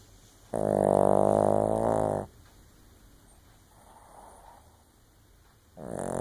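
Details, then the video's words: Sleeping Shih Tzu snoring: a loud, rumbling, buzzy inhaled snore lasting nearly two seconds, then a quiet breathy pause before the next snore begins. "Shih Tzu Snoring"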